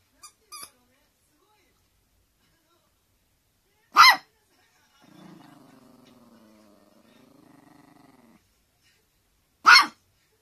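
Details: Teacup Poodle begging for its toy to be thrown: a few faint yips, then single sharp barks separated by long pauses, with a low, wavering growl between them.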